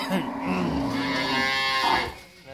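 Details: Sustained, steady lowing moo from a Friesian cow, mother of a newborn heifer calf after her second calving, holding one rich harmonic tone for about two seconds before fading, with faint room noise.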